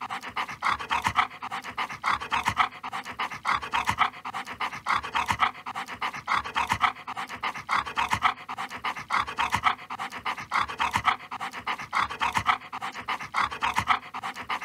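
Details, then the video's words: Siberian Husky panting while eating, a steady stream of quick, breathy in-and-out huffs repeated in a close, regular rhythm throughout, with no barking or other clear sounds. "Siberian Husky, 댕댕이 소리"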